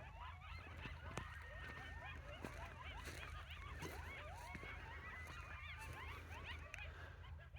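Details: Coyotes chorus together during a morning walk on an off-grid homestead, a tangle of quick yips and wavering high howls rising and falling.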